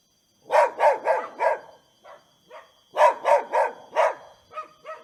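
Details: Dogs playing and barking, two sets of four loud rough barks close together, with softer yips between and after, over a faint steady hum.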